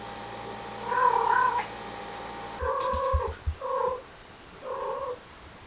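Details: Cats from a stray family with kittens, hot summer, air conditioner gifted; one drawn-out wavering meow, then three short flat mews, with brief low thumps between them and a constant background hum.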